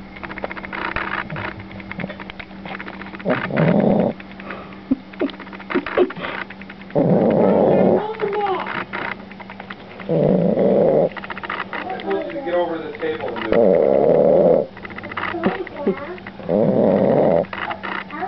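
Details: A sleeping dog, the newest member of the family, snoring very loudly; harsh rasping snores swell roughly every three seconds, each lasting about a second, with people talking and laughing softly between them.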